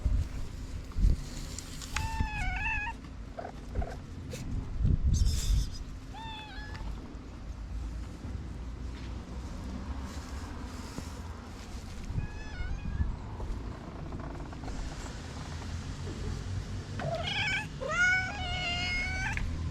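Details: Freshly woken orange cat yawning after a nap, letting out a scattered series of brief, bending meows: a pair early on, one mid-way, and a quick cluster near the end. Low background rumble and occasional soft thumps.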